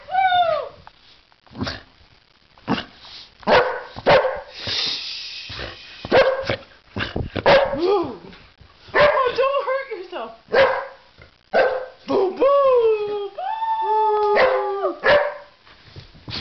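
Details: Cairo the Boxer at play on a stairway, mixing abrupt barks with drawn-out, wavering, vocal 'talking' howls that slide downward, bursts coming in irregular runs, with occasional human speech.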